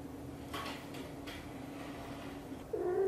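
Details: British Shorthair mother cat, blue golden, talking while grooming her tiny kitten indoors; steady low purring hum throughout, soft breathy sounds, then a short rising meow at the end.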